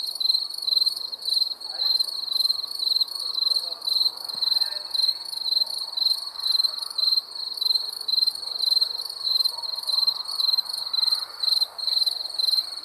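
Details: Crickets at night producing a continuous shrill, finely pulsed chirping in quick regular bursts, with faint low murmuring noise underneath.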